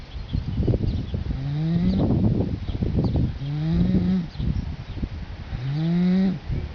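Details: Sleeping colt snoring with dogs lying next to him: three low, voiced, upward-sliding groans, each ending a breath, separated by rough airy exhalations.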